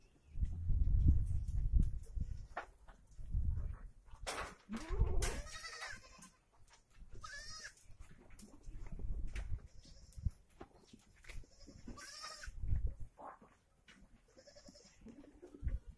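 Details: Osmanabadi goats on a stall-fed goat farm: several wavering, nasal bleats with rich harmonics, some short and some drawn out, scattered through the recording over low thumping, rumbling and clattering from the pen.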